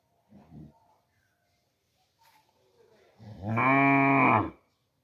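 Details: Cow mooing: a brief faint low call near the start, then after a pause one loud, rich, harmonic moo lasting over a second, steady in pitch and sliding slightly down at the end, in quiet surroundings.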